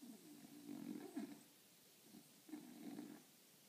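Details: A napping French Bulldog, lying in a funny position, snores in low, raspy, rumbling breaths, each lasting about a second.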